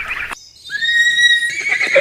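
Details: Horse neighing: a clear, sustained high tone held for under a second, set between bursts of rough noise.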